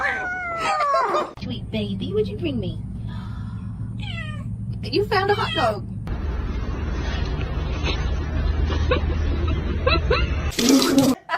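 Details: Kitten meowing: several high, falling harmonic meows in the first seconds, then a steady low hum with scattered clicks and speech-like sounds, a loud burst near the end.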